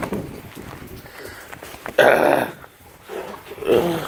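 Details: Great Dane puppies playing rough: a sudden loud, harsh growling yelp bursts out near two seconds, a shorter rough growl follows near the end, with low scuffling and faint noise between.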